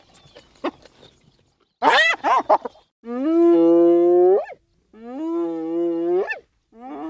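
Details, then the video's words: Hyena, whose calls are said to keep it in touch with the group: a few quick squealing notes, then two long moaning calls, each rising sharply at the end, with a third starting as the clip ends. "Hyena Sounds (10 Minutes) – Hyena Calls"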